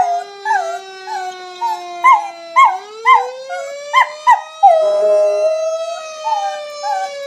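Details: Dog responding to a fire engine siren effect with a series of short, wavering howls, ending in one longer sustained howl that merges with the siren's rising tone.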